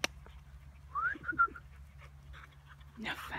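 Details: Four-month-old male Weimaraner puppy moving into a new home in August 2016: a few brief, high, whistled whimpers, the first rising, then two shorter level ones, followed by quiet and a burst of noise at the end.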